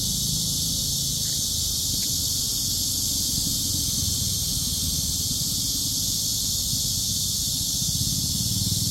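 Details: Cicadas recorded on a walk outdoors: a dense, unbroken high-pitched buzzing drone holds steady throughout, over a low rumbling background of wind or movement.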